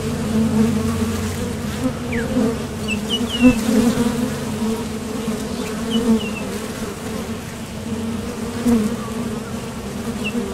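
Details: Many honeybees coming and going at a top bar hive entrance while foraging for nectar, making a continuous low hum that swells as bees pass close, with faint high bird chirps in the background.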